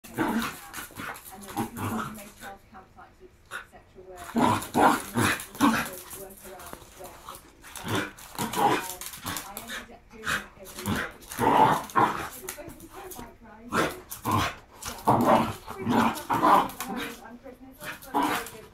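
A Shiba Inu makes strained, whining and yodeling sounds in short bursts that rise and fall in pitch. A human voice talks over and between the dog's noises for much of the time.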